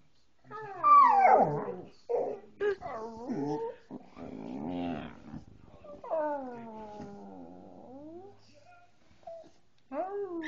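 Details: Coonhound trying to imitate a person howling. It gives bursts of wavering, whiny howls and bays that slide up and down, broken by short yelps and pauses, with a long quavering howl near the middle.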